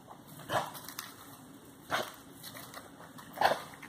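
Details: Belgian Malinois diving in the Messias river at Rio Largo, Alagoas; three short, fairly faint barks spaced about a second and a half apart over a steady background hiss.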